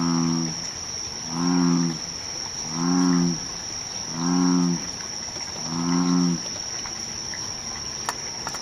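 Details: American bullfrog calling at Sugatami Pond among irises: five deep, droning, harmonic moos, each about half a second long and repeated roughly every one and a half seconds, over a steady high insect whine.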